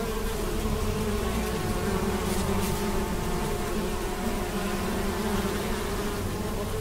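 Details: A large swarm of honey bees flies about gathering nectar to bring back to the hive, making a steady, low, layered hum that holds throughout without pause, with no other clear sounds.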